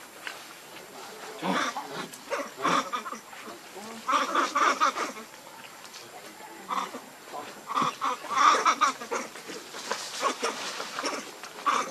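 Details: Lucie, a baby monkey, gives clusters of short, reedy, tonal cries and squeals in uneven bursts, some strained and piercing, separated by brief lulls with faint background rustle.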